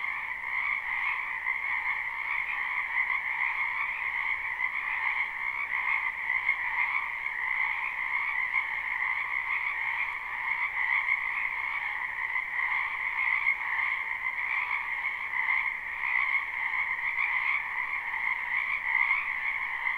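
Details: Many frogs croaking in a wetland behind a house in spring, a live unlooped recording: a dense, steady chorus of overlapping trilling calls forming two continuous bands, one higher and brighter, unbroken for the whole stretch with no other sounds.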